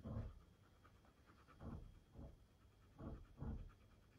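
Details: Siberian husky meeting a new female puppy, heard panting: soft breathy bursts in uneven pairs and singles, low and rough, against a quiet indoor background.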